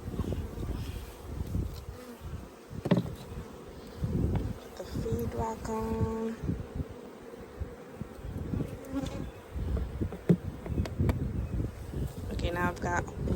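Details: Honey bee swarm placed into a hive by a beekeeper, phone recording: continuous low humming buzz of massed bees, with thuds from moving wooden frames and a brief human voice midway.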